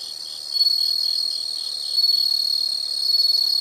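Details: A loud, shrill insect trill swells and fades in waves about every one and a half seconds, with a fainter higher continuous tone running underneath.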